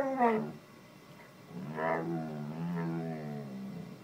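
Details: In the morning, a Bull Terrier gives drawn-out, groaning moans that rise and fall to wake its owner.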